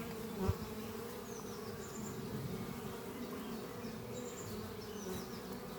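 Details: Worker honey bees flying at their hive beneath trees on a spring morning; an even, low droning buzz throughout, with a brief nearby bump early on and thin high bird whistles in the background.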